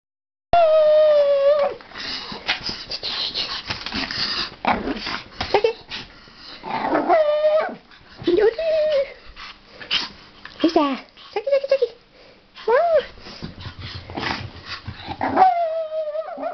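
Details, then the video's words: Japanese Chin dog, kept as a pet, 'singing' in a long run of wavering, tonal howls. They rise and fall and break into short yelps, with sustained notes at the start and end and brief pauses between bursts. "japanese chin shakira singing"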